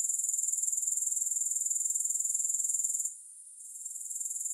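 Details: Grasshopper chorus without music, a rapid, even pulsing buzz at very high pitch that drops away for about half a second, then returns and rebuilds to full strength.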